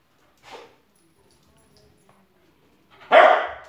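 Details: A spoodle, no longer quite a puppy, chasing shadows indoors: one soft short yelp early, then after a long silence a single loud, broad bark near the end.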